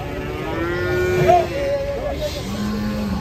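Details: A raging big cow being unloaded from a truck gives one sustained, steady moo lasting over a second, ending in a short upward break. A low motor rumble continues and voices murmur.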